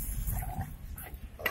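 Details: A Golden Labrador fighting with a cocker spaniel gives a deep, continuous rumbling growl with bursts of noise, ending in a sharp short yelp-like sound.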